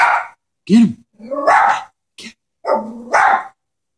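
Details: Pet Chihuahua, scared of a stuffed toy horse, gives a few short sharp barks, one with a rising yelp-like tone, separated by brief silences.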